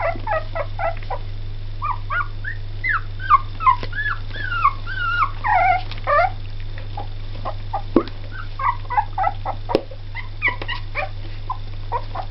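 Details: Two-week-old Jack Russell Terrier and Yorkshire Terrier cross puppies giving a busy run of high squeaky whimpers and short yips, several overlapping, with rising and falling whines, over a steady low mains hum.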